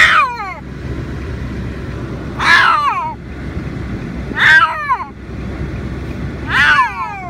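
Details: A female Siamese cat yowls loudly in protest at being in her carry bag on the way to the vet, each harsh, falling cry repeated about every two seconds.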